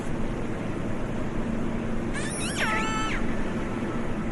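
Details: Killer whale call: one loud, harmonic squeal that sweeps quickly downward, then holds a level, slightly nasal tone for about half a second, set against continuous low underwater rumble and hiss.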